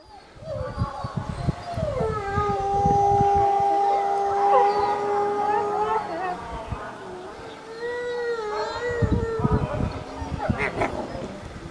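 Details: A wolf at Asahiyama Zoo gives long, steady howls that hold one pitch, then dip and rise again.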